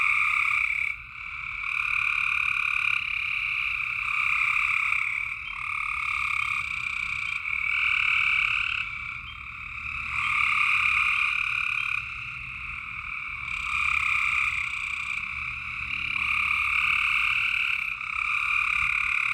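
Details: A dense night chorus of frogs in Tennessee, with high trilled calls overlapping in a steady wall of sound.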